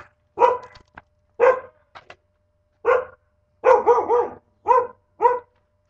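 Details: Pet dog indoors, captured on a webcam on August 15, 2011, barking in loud, harmonic bursts about once a second, some barks doubled or tripled in quick succession, with a faint steady hum underneath.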